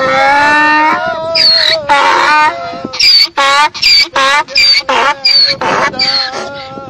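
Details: A donkey, apparently singing along with people, brays in long, harmonic wails that break into a rapid, see-sawing hee-haw.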